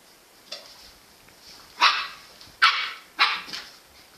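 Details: Jack Russell Terrier giving a faint bark then three loud, sharp barks spaced under a second apart.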